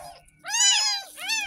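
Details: Tiny kitten only ten days old, mewing during its very first bath after being found in a roadside gutter: two loud, shrill, drawn-out meows, the first longer and rising then falling, the second shorter.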